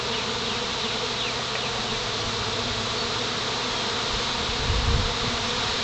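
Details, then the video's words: Honey bee swarm settling on a pine branch: a dense, steady, even-toned drone of many wings, with brief higher buzzes of single bees darting past and a low rumble swelling near the end. "Swarm Settling on Pine Branch"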